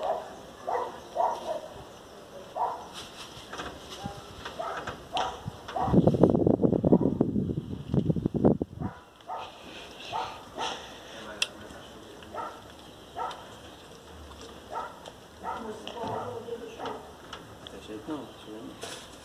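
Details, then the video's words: Angry pinscher, described as fierce, barking in quick, irregular bursts of short, sharp, fairly high yaps, about three or four a second. A louder, denser stretch of barking comes around the middle. Background noise runs throughout. "pinscher mais bravo do mundo"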